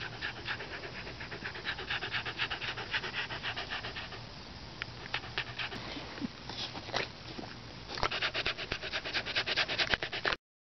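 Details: Beagle panting steadily, a rapid train of breathy pulses lasting about ten seconds, speeding up and growing louder toward the end, with faint background hiss.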